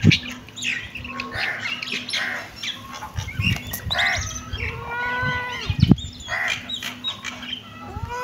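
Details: Kitten meowing: several drawn-out, arched meows that rise then fall, with harmonic overtones, some overlapping, against a steady low hum and scattered clicks.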